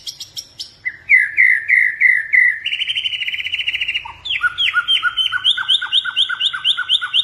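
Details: Blorok white-rumped shama kept as a cage bird in Indonesia, in full song: clipped opening notes, a rolling trill, a buzzy rattle, then a fast regular series of sharp down-slurred whistles.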